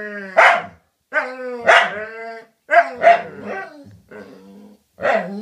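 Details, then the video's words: Dogs talking to each other: a series of tonal, whining yelps and short barky calls, each with a sharp onset, then held or sliding pitch, coming in bursts roughly every second with brief silences between. "Cute dogs talking to each other"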